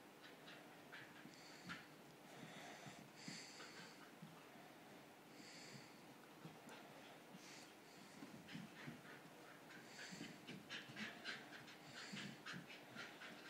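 An English Bull Terrier snorts, pants and grunts in quick, uneven bursts.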